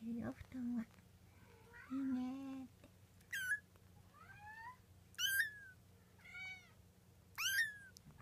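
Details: Twenty-four-day-old Munchkin kitten from Momo's litter, indoors: a series of thin, high squeaky mews rising sharply then sliding down, about one every second, after some low humming tones at the start.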